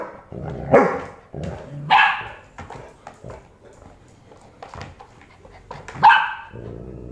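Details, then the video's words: A Golden Retriever puppy argues with its dad in Bangalore; three loud barks spaced over about five seconds, with softer grumbling and small noises between them. "Funny Video of Puppy Arguing with its Dad | Golden Retrievers Dogs"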